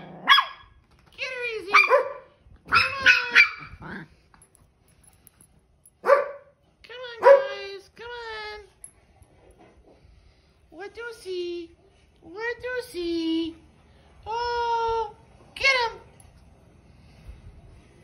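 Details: Dog at play giving a series of high, tonal yelping barks and whiny calls with sliding pitch, delivered in short bursts separated by brief pauses, some calls drawn out, over a quiet background.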